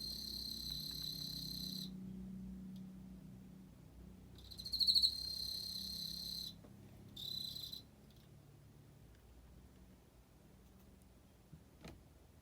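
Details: An Emma field cricket gives three separate high, ringing trills of differing length, the second with a louder pulsed swell near its start and the last one short. Quiet background hum fills the gaps.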